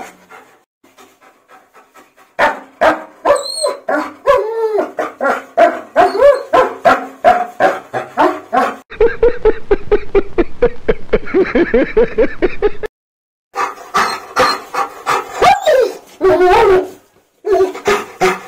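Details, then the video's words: German Shepherd crying in discomfort while being bathed, a long run of wavering whines, yelps and moaning howls, with water noise and brief human voices. "GSD's Reaction to Bath Time Will Melt Your Heart"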